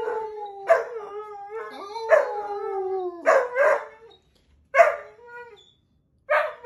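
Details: A male wolfhound puppy howls on command in long, sliding tones broken by sharp yelping onsets.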